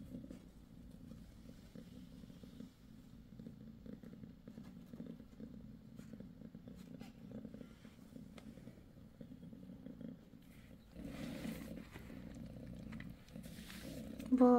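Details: Mother cat six days after giving birth to a litter of five kittens, purring: a steady low rumbling purr throughout, with a louder rustling burst near the end.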